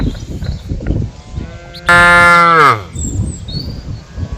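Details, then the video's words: A single loud cow moo lasting under a second, steady and richly harmonic before sliding downward at its close, set against soft low background noise and faint distant chirps. "Suara dan SAPI-SAPI yang lucu || funny sound of cows and cows"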